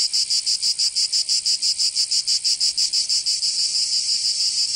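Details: Short burst of summer cicada song in Provence, France, strongly pulsed shrill buzzing at roughly three beats per second, smoothing into a steadier drone near the end.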